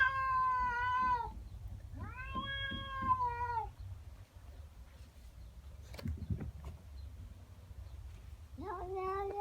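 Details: In the morning a pet female cat wails at another cat in her garden. Two wavering yowls, each about a second and a half, come close together. Quieter faint sounds follow before a final rising yowl starts.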